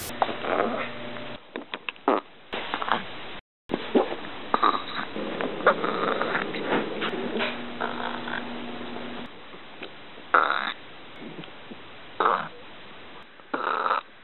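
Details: A little dog lets out repeated small burps, brief guttural bursts spaced irregularly over fourteen seconds with short quiet gaps between, some sharper and louder, over a faint indoor hum.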